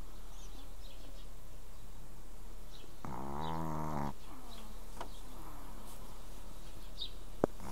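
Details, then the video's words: Pekingese dog snoring: one drawn-out rasping snore near the middle, low with rich stacked harmonics, lasting about a second, otherwise quiet background with faint clicks. "dog pekingese snores"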